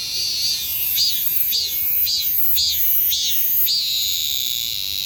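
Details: A cicada calls in a shrill, continuous buzz broken by a regular beat of sharp, rising pulses, about two per second, throughout.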